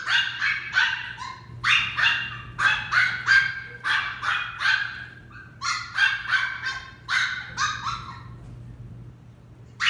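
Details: Female West Highland White Terrier puppy during a training session, giving rapid, high, sharp yapping barks in uneven bursts of several at a time, with brief pauses between runs; no other clear sounds.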